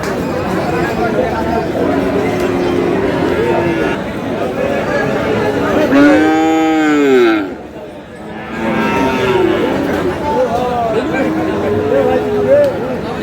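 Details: Friesian and cross-breed bull calves, about six to seven months old, at Aftabganj cattle market, Dinajpur, on 22 August 2026; one loud, arched, drawn-out moo of over a second rises above constant crowd chatter and bargaining voices.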